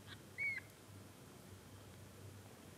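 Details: Munchkin kitten on its first day of life gives one short, high, thin whistled mew that falls slightly at the end, over a steady low hum of room noise.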